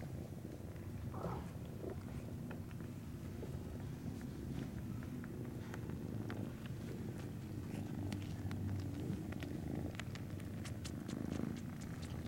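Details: Purring Norwegian Forest Cat kittens at a cattery on 19 January 2017: an even low vibrating drone that holds for the full length, overlaid by sporadic crisp clicks and rustling.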